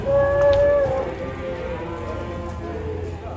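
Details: A cow lets out a short, steady, level moo lasting about a second, which then fades into low background rumble and faint noise.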